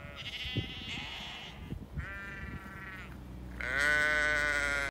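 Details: Lincoln Longwool sheep in England, hungry and accompanied by grown lambs, giving three separate drawn-out, quavering bleats, the last one loudest and fullest. Footsteps and low knocking sounds are heard between the calls.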